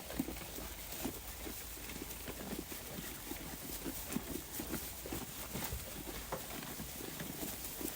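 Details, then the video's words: Grass being torn and chewed by a grazing flock of sheep: rapid, uneven crunchy snaps continuing throughout against a steady low rumble and hiss. "A Flock of Sheep Eating Grass"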